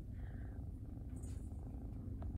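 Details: Domestic Shorthair cat, a shy older kitten born to a feral mother and raised in foster care, purring steadily indoors as a low continuous rumble, with a faint woman's voice greeting nearby.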